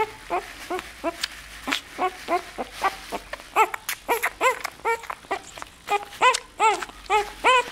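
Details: A nine-day-old Bull Terrier puppy gives rapid, high, arching squeaks and whimpers, one after another.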